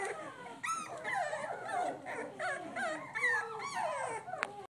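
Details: Three-week-old pit bull puppies exploring their surroundings: several small voices overlapping in continuous squeaky whines and whimpers, rising and falling in pitch, with one higher yelp near the start.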